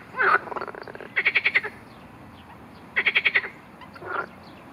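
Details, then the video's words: Marsh frog croaking during an attack by a grass snake: rapid pulsed rattling croaks of about six quick notes, given in two bursts about two seconds apart, with shorter single croaks before and after. "Skokan skřehotavý"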